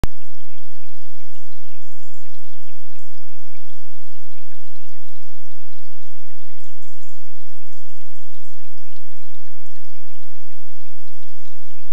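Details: Steady, loud rushing water like heavy rain or a stream fills the whole recording, with scattered faint clicks and no animal voice.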